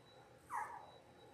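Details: A 10-day-old Labrador Retriever puppy from a litter of six on a live puppy cam gives a single short, rising-then-falling squeaky whimper against a quiet humming background.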